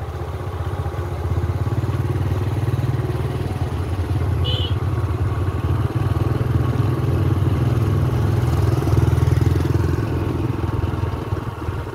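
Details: A motorcycle engine rumbles steadily throughout a ride home, with road noise and a brief faint chirp near the middle but no clear animal call.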